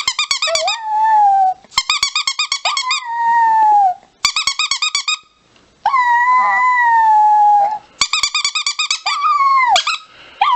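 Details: Chihuahua: bursts of rapid high yips, each run sliding into a long, sustained, slightly falling whining howl. The pattern repeats about four times with short gaps and no other sounds.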